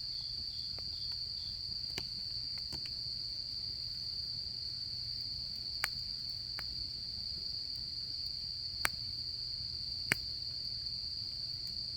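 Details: Insects chirping on an autumn night at a camp: one continuous shrill, even trill holds at a constant pitch from start to end, and the fire gives a few loud crackling snaps along with soft low background hum.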